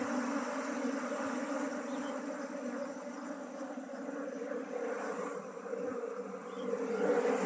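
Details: Beekeeping scene with honey bees being shifted from a traditional log hive into a modern hive; a constant layered buzzing hum of many bees, briefly softer midway then rising again at the end.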